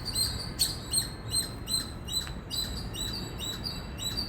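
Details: Rapid, loud high chirps from an Indian squirrel, about two and a half per second, each a short squeaky note, some sharper than others, with low ambient noise beneath.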